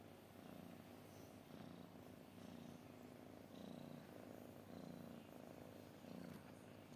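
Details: Low, throaty purring from a cat, pulsing in regular breath cycles under a second apart, steady and unbroken for the whole stretch.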